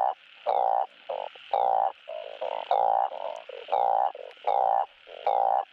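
Blunt-headed burrowing frogs give loud, nasal honking croaks, repeated in quick bursts as a mating call.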